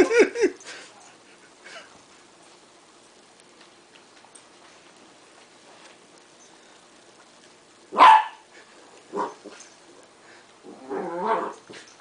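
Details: Westie puppy Duke, a 3.5-month-old West Highland White Terrier, playing with tape at home; a short opening bark, long quiet stretch, then a sharp yap around eight seconds and a few whiny, harmonic yelps near the end.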